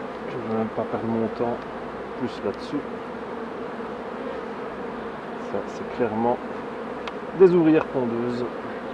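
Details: Honey bees humming steadily around hives as a beekeeper works them during a 2018 session of shaking bees and a colony with a drone-laying queen, the low drone broken by bursts of human talk.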